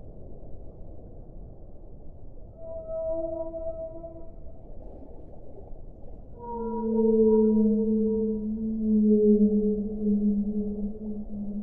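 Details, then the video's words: Whale song with two long tonal moans. The first is higher and wavering. The second is a lower, sustained note rich in overtones that swells louder, all over a soft continuous hiss. "suono delle balene"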